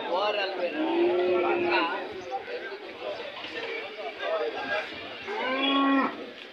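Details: Hallikar cattle at the Monday cattle fair at KG Temple, Gubbi taluk, Tumkur district, Karnataka, India: two drawn-out, resonant moos, one early and one near the end, with men talking nearby between them.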